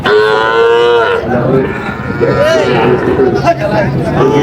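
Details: Sahiwal cattle at a busy market in Barishal, Bangladesh, 21 July 2025, where bulls are being bought: one loud, steady, fairly high moo lasting about a second, then murmuring voices and crowd bustle with fainter lowing behind.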